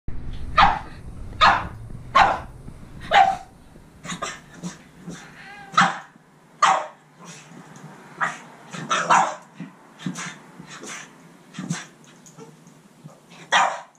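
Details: A Boston Terrier yells at a cat in sharp, irregular barks, often in quick pairs or short runs.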